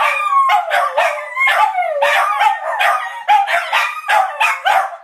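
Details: Three family dogs in a deafening group howl, a daily habit repeated several times. Wobbling, mid-pitched howls overlap and break into quick yelping stutters, the pitch bending downward at the ends of phrases.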